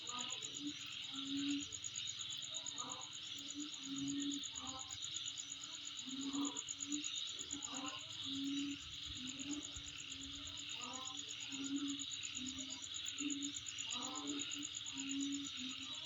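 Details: Continuous shrill insect trill with fine even pulses, layered over a broad hissing chorus; low humming tones come and go, with scattered short mid-pitched sounds.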